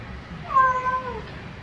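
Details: Domestic cat calling its owner with a single drawn-out meow, rising then gently falling in pitch, about three-quarters of a second long, against a faint low background hum.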